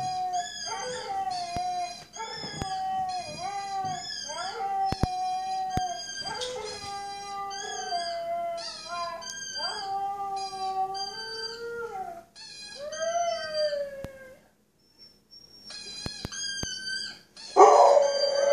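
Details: Rescue Siberian Husky, male, about 3-5 years old, adopted two months earlier and never heard barking or howling, howls for the first time: long drawn-out tones that rise and sag in pitch, repeated with short breaths, ending in a brief noisy burst.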